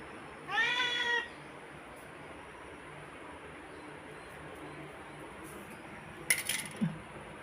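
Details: Pet black cat talking to its owner, who speaks Tamil about boiled prawns. One short meow that rises and falls near the start, then a quiet room with a few light clatters toward the end.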